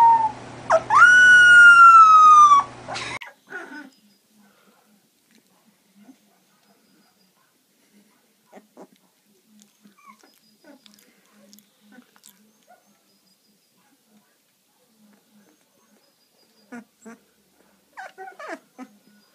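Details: Labrador Retriever puppy giving one drawn-out, high whine that rises briefly and then slides down, rich in overtones and lasting about two seconds, followed by near silence with a few faint soft taps and rustles.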